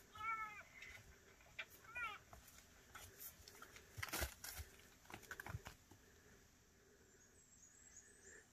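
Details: Fawn struggling to get milk from its mother, calling noisily to let her know; a few short, high, nasal mewing bleats come near the start, followed by rustling, thumps and faint background hiss.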